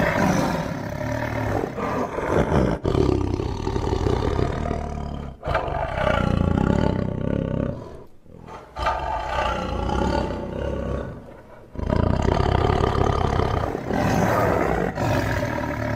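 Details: Tiger roaring: deep, rough, harmonic-rich roars run in long loud stretches, broken by short pauses near three, five and eight seconds and a brief drop near eleven seconds.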